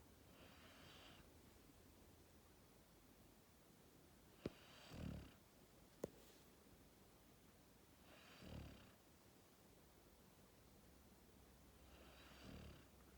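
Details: Max, a sleeping Labrador Retriever puppy born 1 October 2019, snores indoors: soft, low, breathy rasps that swell and fade about every three to four seconds, with two sharp clicks between them in a quiet room.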